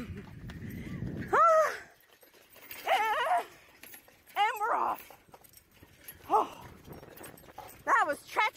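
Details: Alaskan Malamute pulling a beach bike along a river, giving a series of wavering, yodelling howls and whines, each a second or so long and repeated every one to two seconds, with some background noise.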